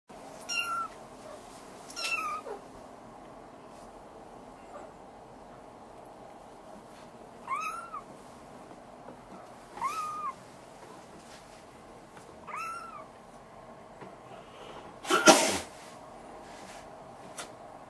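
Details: Young male Maine Coon kitten from a Tokyo breeder, growing more active, gives five high, arched, clear meows spaced a few seconds apart, with a sharp thump or clatter near the end in a quiet room.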